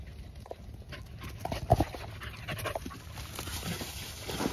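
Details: Miniature Australian Shepherds on the run, breathing in quick breathy panting bursts, with a louder thump near the middle and a constant high-pitched hiss behind.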